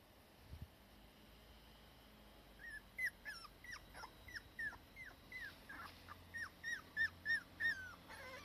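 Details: Cardigan Welsh Corgi pair, mother and daughter, resting in warm sun, the daughter still anxious when her mother is not nearby; short descending whines come in a quickening series, growing louder toward the end.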